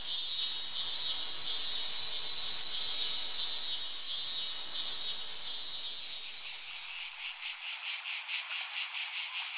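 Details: Cicada song: a steady high, shrill buzz for several seconds that breaks into rapid rhythmic pulses, about two per second, near the end.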